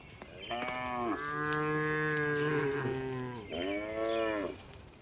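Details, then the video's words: Tame cows on an afternoon herd back to the barn; one long, steady, deep moo lasting over two seconds, followed by a shorter rising-then-falling moo, with a faint high tone in the background. "Funny Cow Sounds"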